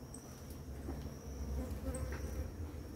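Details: A bee close by drones low and loud, rising and falling, among the many bees feeding on flowering ora-pro-nobis in the morning. A thin, steady high insect tone and a few high chirps sound in the background.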